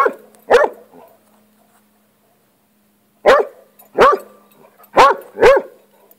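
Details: Rocky, a pet hound fixated on lizards, barks at one he is confronting: two sharp barks, a three-second pause, then four quick yelping barks with upward-bending tones roughly half a second to a second apart.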